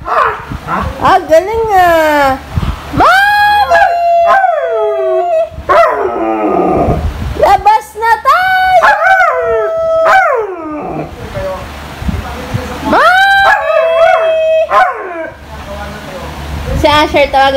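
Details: Female Siberian Husky insistently calling her owner to go out, with a long series of rising-and-falling howls, yips and whining slides. The notes come in clustered bursts with brief gaps, some sustained and level, others sharply bent downward.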